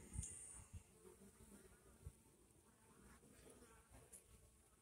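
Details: Honey bees feeding on watermelon make a soft, steady droning hum of wings in flight, with a few low thumps nearby.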